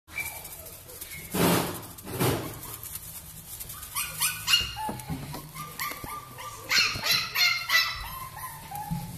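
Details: Young female Blenheim Cavalier King Charles Spaniel: two soft breathy sounds, then a run of high, quavering whimpers and short yelps with many overtones, rising in intensity toward the end.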